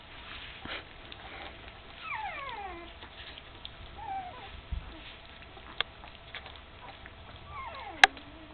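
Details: Puppies close to three weeks old, eyes just opened and walking unsteadily, with their mother Candy; several sliding, downward whimpers come at intervals, with soft shuffling and one sharp click near the end.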